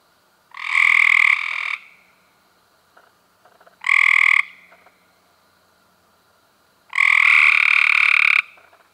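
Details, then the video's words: Cope's gray treefrog filmed in May 2016, giving three loud, harsh buzzing trills, each about a second long with a bright tone near the middle, separated by short pauses; faint clicks between calls. "Cope's Grey Tree Frogs"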